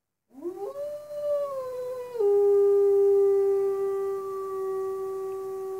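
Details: Captive wolf at Northwest Trek in 2019 howling in response to two other wolves, heard through a cabin window: a single clear howl rising in pitch, wavering, then stepping down to a long steady held tone.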